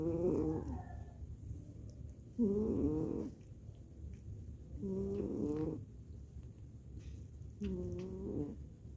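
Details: Haruya, a pet cat, snores softly, with a raspy, buzzing breath repeating roughly every two to three seconds against quiet background hiss.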